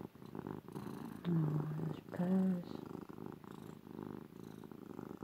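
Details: Ruby, a female domestic cat, purring loudly while being cuddled and snuggled; a steady low rumbling pulse runs throughout, briefly overlaid by a woman's soft affectionate voice.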